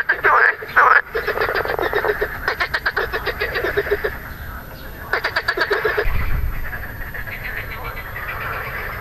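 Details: Marsh frog (Pelophylax ridibundus), recorded 2 June 2013, gives loud, rapid rattling croaks with grey vocal sacs inflated, bursts of quick pulses like a chuckling laugh.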